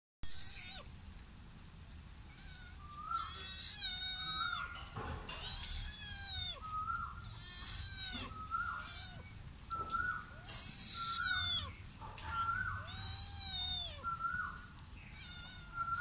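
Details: Sri Lankan mother cat and her son meowing outdoors, a steady exchange of drawn-out, bending meows, some high and wavering, others lower and shorter, repeated every second or two over a soft rumbling background.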